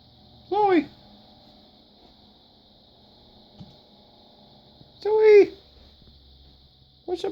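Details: A female Bengal cat, whom the owner suspects is in heat and ready for a mate, gives short, arching, harmonic meows spaced several seconds apart over a faint steady whine.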